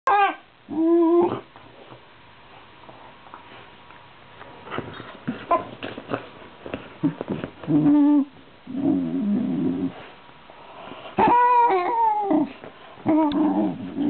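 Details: A female Shiba Inu gives odd, wavering whines mixed with low, rumbling growl-like grumbles, strange noises she likes to make.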